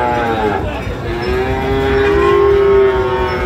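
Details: Sahiwal cattle at a livestock market, 4 August 2025, as a Dhaka farmer buys young bulls: a long, steady, tonal moo holds an even pitch for over a second, rising in loudness, over background voices and vehicle hum.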